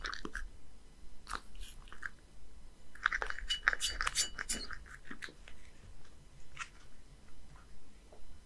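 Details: One-year-old male Scottish Fold named Beard, living in Japan, quickly eating a creamy seafood soup indoors: wet licking, lapping and chewing clicks repeated irregularly about twice a second, with sharper bursts mid-clip and a faint low hum.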